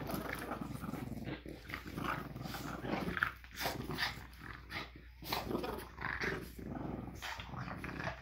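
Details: Two French Bulldogs in a tug-of-war game after breakfast on a Monday morning, growling in rough, throaty pulses that swell and fade every second or so, with snorts and scuffling in the background.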